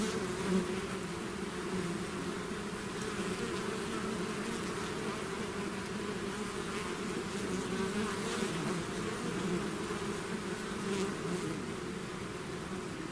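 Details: Bee swarm out of its hive: a dense, steady, low droning hum of many wings, with bright bands around the low-mid pitches and little change in loudness.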